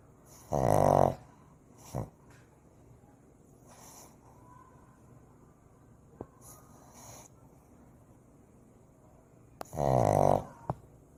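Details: Sleeping Shih Tzu puppy snoring: two loud nasal, buzzy snorts roughly nine seconds apart, with a shorter snuffle and faint breathing sounds in between in a quiet room.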